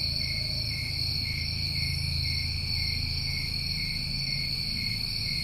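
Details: Dense steady trilling of New England summer crickets, several pitches humming together without a break, over a prominent low rumble.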